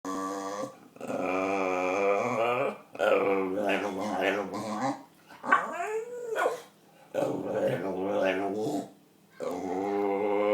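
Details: Pet dog making weird noises when his owner pointed at him: drawn-out harmonic moaning and whining in several long bursts with short pauses, plus a rising-then-falling arched cry midway.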